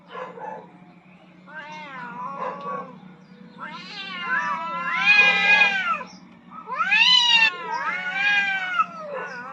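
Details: Rooftop fight between two aggressive cats contesting dominance, heard as a run of yowls building from short moaning notes into loud, bending, strained wails, answered back and forth, over a constant low electrical hum.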